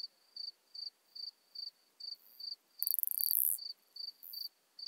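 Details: Singing Modest Plump Bush-cricket recorded at Marz, Austria, on 13 June 2020: short high chirps repeated about every 0.4 seconds, broken midway by a loud rustling burst.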